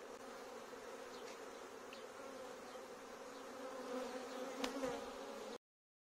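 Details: Bees swarming through a courtyard make a dense, continuous low hum that swells slightly near the end, with a few faint knocks, before the sound cuts off abruptly.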